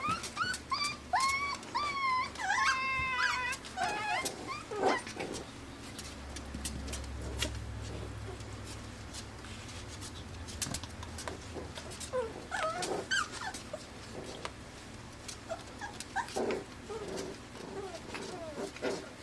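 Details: Five-week-old AKC Pembroke Welsh Corgi puppies, born June 20, 2026, in Arkansas, whimper indoors with high, wavering, harmonic whines rising and falling in quick clusters during the first four seconds. Scattered clicks and scuffling follow, then fainter whines.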